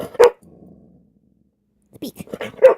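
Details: Pet dog Shania barks on command while being told to speak: one sharp bark, a pause, a person repeating speak, then a second short bark indoors.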